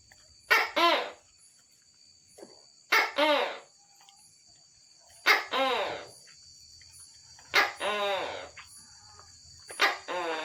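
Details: Tokay gecko calling at night: five loud two-part calls, each a short sharp note followed by a longer, harmonic, downward-bending note. The calls come roughly every two seconds over a steady high insect-like drone.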